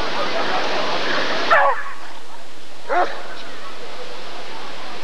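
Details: Rottweiler at the 1994 ADRK Körung breed survey: two sharp, short barks roughly one and a half seconds apart, following a stretch of loud crowd murmur and background noise that fades out before the first bark.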